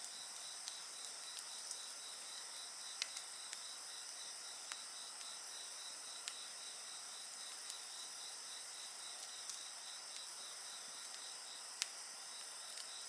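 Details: Continuous high-pitched insect trilling from several singers layered together, a fast pulsed buzz running throughout, with frequent small crackles and louder snaps from a campfire scattered across the recording.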